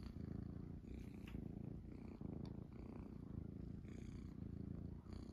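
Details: Low vibrating purr from Munchkin kittens curled on their owner's stomach indoors at dawn, holding steady and continuous, with a few faint clicks and fabric rustles on top.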